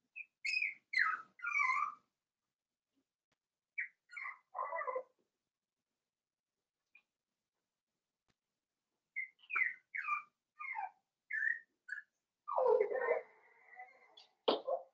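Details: Cavalier King Charles Spaniel puppies, five weeks old, in their pen, giving high whistled squeaks and falling whines in short clusters separated by quiet gaps, ending with a rougher drawn-out whimper.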